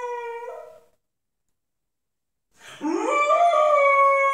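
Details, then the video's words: Unhappy pit bull puppy, ten months old, howling indoors: a short wavering howl fades out, then after two seconds of silence a new howl swoops upward and holds steady. "pitbull puppy sings the blues"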